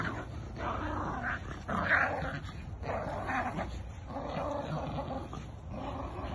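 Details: Jack Russell and Bull Terrier dogs playing tug of war, growling almost without pause: rough, rumbling, noisy growls that swell and ease in bursts about every second, with a louder surge near the two-second mark.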